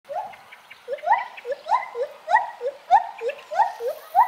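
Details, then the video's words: Gibbons singing while swinging from branch to branch: a steady run of rising whooped notes, each sliding upward with bright overtones, repeated roughly every half second and climbing in pitch and loudness toward the end. "Gibbon Monkeys swinging and singing"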